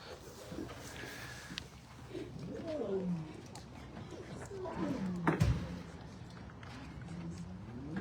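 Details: Rescued lioness (Panthera leo), still caged while being unloaded after a journey from Canada, gives low, rising and falling moaning contact calls to her two waiting cubs, who are upset.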